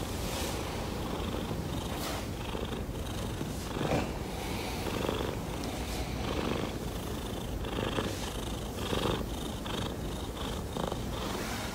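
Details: Pet cat wanting to drink water, purring steadily and loudly throughout, a rough low rumble pulsing about twice a second with breathy rises, recorded up close indoors.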